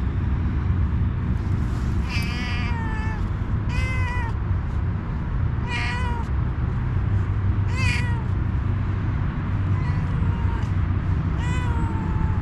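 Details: Adorable homeless she-cat wanting a head massage meows repeatedly, about every two seconds, each call a bright, slightly wavering cry that slides downward, with steady low traffic rumble beneath.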